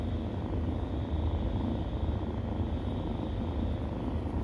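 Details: Stray cat nursing kittens; a continuous deep purring rumble holds evenly across the whole short stretch, low and unbroken, with a faint high hiss behind it.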